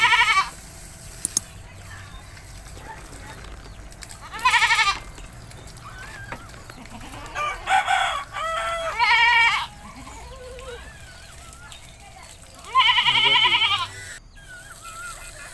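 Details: Village goat during a bath, with several shaky, nasal bleats at irregular intervals, one pair close together, among clatter and quieter background noises.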